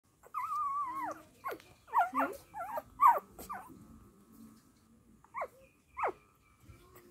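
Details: Dachshund mother caring for her puppies: a long wavering whine opens, followed by a burst of short bending whimpers and yelps, a quiet stretch, then two brief downward-sliding whimpers near the end.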